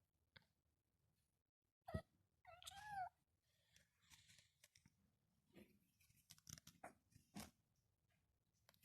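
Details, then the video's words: Eight-month-old kitten chirping and making noises for fun indoors: a sharp click, then a brief rising-falling trilled chirp, followed by soft scattered rustles and ticks in a quiet room. "chirping and making noises"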